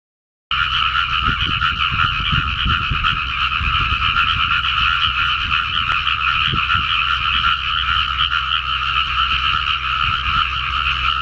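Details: A dense frog chorus in a newly flooded rice paddy: many overlapping croaks merge into a steady, ringing trill that never pauses.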